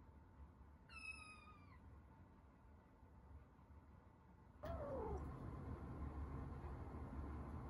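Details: House cats in a first cage-side meeting between resident tabbies and a rescued kitten. A single clear, falling meow early on, then only low room rumble and a brief soft thump.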